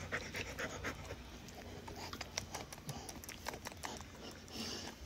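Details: Siberian Husky kept as a pet in Kerala, India, breathing in soft, airy pants at an uneven pace, with faint voices in the background.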